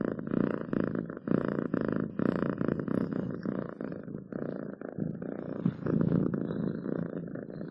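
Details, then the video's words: Pet cat purring continuously, a deep throaty rumble rising and falling with each breath about twice a second, slight dips in loudness midway. "7 minutes of Cats Purring to make your day better!"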